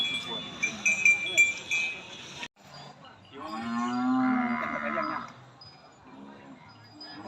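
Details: Cattle at a Saturday cattle and buffalo market in Nong Na Hai, Sum Sao, Phen district, Udon Thani, Thailand, 22 January 2022: after bright chiming and music, one drawn-out harmonic moo lasts about two seconds amid market murmur.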